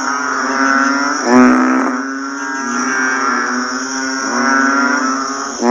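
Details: Banded bullfrogs calling just after rain has stopped: a dense chorus of deep, lowing, nasal drones overlapping without pause, swelling around the second and fifth seconds, over a steady thin high whine.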